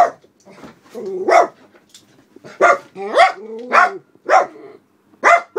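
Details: {'text': 'Black Miniature Poodles, two seniors aged about 11 and 12, barking at the window from indoors as someone walks another dog past the house; sharp, loud barks in a quick irregular run with a low growl between them.'}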